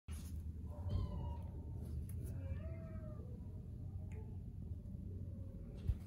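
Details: Domestic Shorthair cat available for adoption, recorded 5 March 2020 in the morning, gives two harmonic meows indoors: a short one near the start, then a longer drawn-out meow with a falling ending, over a steady low rumbling hum.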